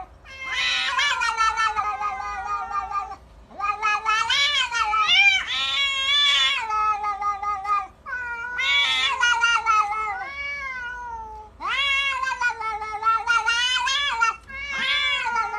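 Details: Fighting cats yowl and caterwaul in long, wavering, harmonic-rich howls that rise and fall in pitch, several drawn-out wails overlapping with short breaks between bursts.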